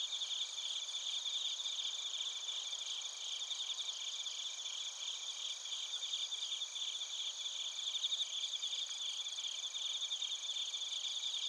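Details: Many crickets, bell crickets among them, calling in Narita, Chiba, Japan, recorded on a TASCAM Portacapture X8; unbroken high trilling and buzzy pulsed chirps over bright sustained tones, a little louder toward the end.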